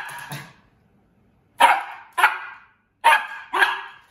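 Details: A Morkie puppy, a dog said to love running, gives four sharp, high barks in two quick pairs about a second apart, after a softer yip at the start, with silence between.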